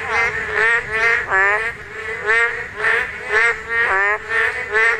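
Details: Korean narrow-mouthed toad calling during spawning: a steady run of nasal, buzzy, wavering croaks, about eight in five seconds, each sliding slightly downward with rich overtones, one after another with short gaps and little else audible.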